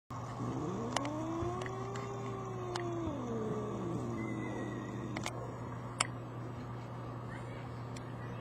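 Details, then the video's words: Two brother cats from the same mother arguing: a long drawn-out wavering yowl rising then falling over about four seconds, followed by a lower moaning tail, with sharp clicks and faint traffic hum behind. "Cats arguing"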